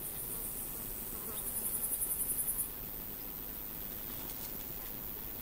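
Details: A female Frivaldszky's bush cricket (Pholidoptera frivaldskyi) in a humid meadow in Cherkasy Oblast, central Ukraine, on 5 July 2023, gives a brief, high, rapidly pulsed chirping burst over low rumbling background noise.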